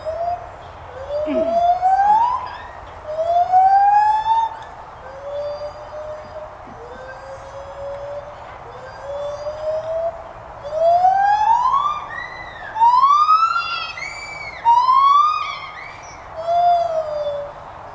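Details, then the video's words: Captive white-handed gibbons at the Santa Fe College teaching zoo, Gainesville, Florida: long, slow, rising whoops that each stretch over a second or more, growing louder later with overlapping upward glides from more than one animal, against a steady low hum. "white handed gibbons vocalizing"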